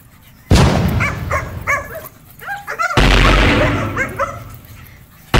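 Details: Dogs fighting: sharp, high yelping cries in quick bursts, some rising then falling, set against loud rough thumping and scuffling noise with sudden crashes at the start and end.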